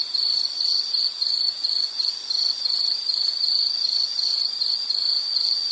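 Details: High, thin insect trill in a nature setting: the pulsed chirps come in quick succession with small swells and dips in volume, against a faint steady hiss.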